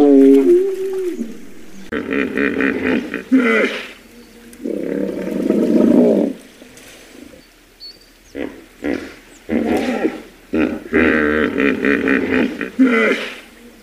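A hippopotamus gives deep, rasping honks and grunts in repeated bursts, separated by short pauses.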